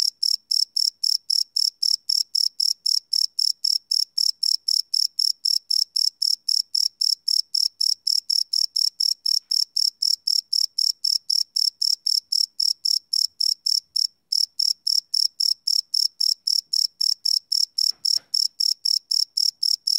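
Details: Crickets chirping after dark, recorded live on a Sony PCM D100: a rapid, shrill, evenly spaced pulsing with one short gap midway and a faint low thump near the end.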